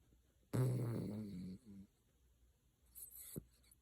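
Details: Chocolate poodle snoring indoors: one loud, rough, low rumbling snore lasting about a second, with a shorter, softer snort right after, then quiet room noise and a faint rustle near the end.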